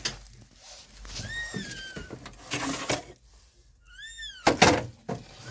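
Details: A stray kitten, rescued after being abandoned for two days in -11°C snow, utters a drawn-out falling meow, then a shorter rising-and-falling one, amid dull thumps and rustling.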